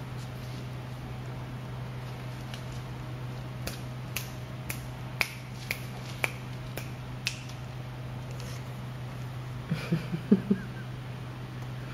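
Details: Sharp finger-snap clicks repeat about every half second over a constant low electrical hum, followed by a few soft knocks near the end.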